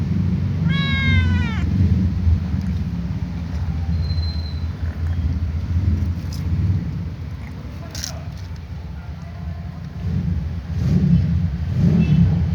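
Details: Little ginger cat meowing while watching other cats: one short, bright meow with a rising then falling pitch near the start, followed by steady low rumbling background noise.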